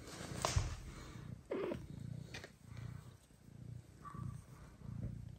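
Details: Mother cat Kira, a lactating domestic cat with her kitten and two adopted blind kittens, purring in low rhythmic pulses, steady waves of rumbling with brief rustles and a short faint higher squeak near the end.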